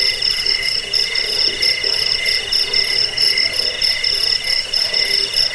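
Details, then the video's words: Continuous high, ringing cricket chirps in rapid pulses, offered for chasing rats away, falling asleep and bird song training, with faint lower tones underneath. "Suara jangkik pengusir tikus pengantar tidur"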